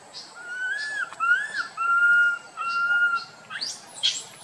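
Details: Tiny monkey named Boston crying loudly while wandering with his group; a run of drawn-out, clear, wailing notes at steady mid pitch, several in a row, ending in a brief harsher, higher squeal.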